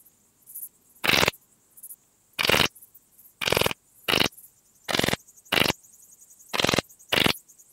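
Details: Graceful bush-cricket (Pachytrachis gracilis) singing at Vela Ucka, Croatia, on 30 July 2023. Short, harsh, broadband chirps about a quarter-second long come at uneven intervals of roughly one second, eight in all, against a quiet background.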